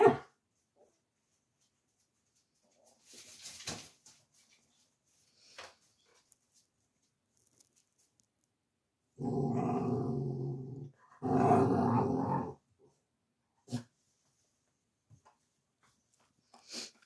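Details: Male Dogo Argentino mix puppy, born August 2023, in foster care in Osnabrück, Germany, December 2023: two low, rough grumbling growls of about a second each after a quiet stretch with faint rustles and knocks.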